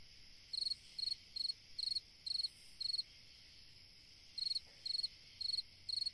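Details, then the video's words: On a summer night a cricket gives bright pulsed chirps, around two each second, in two runs split by a short pause, with a steady high-pitched insect drone behind. "Chant d'un grillon dans une nuit d'été / Singing a cricket in a summer night"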